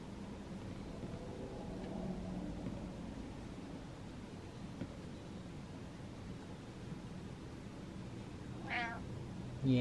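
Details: A domestic cat rubbing on a stool gives soft, drawn-out meows, one ending in a quick falling cry, asking to be brushed again. A person's quiet voice answers it.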